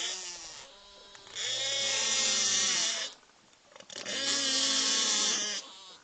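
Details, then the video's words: Cook Inlet beluga whales, an endangered population near Anchorage, Alaska, recorded underwater: two long loud bursts of dense harmonic wailing and buzzing calls lasting about two seconds each, separated by a quieter gap with faint whistles. "first play you a clip that is a variety of calls and whistles and buzzes. So it's pretty cool. So let's see here."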